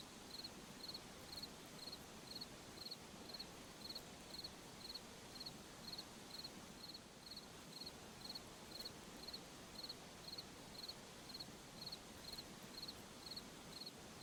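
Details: Night forest crickets chirp steadily, each high-pitched chirp a quick cluster of pulses, repeating roughly every 0.4 seconds through the stretch over a constant low rushing hiss.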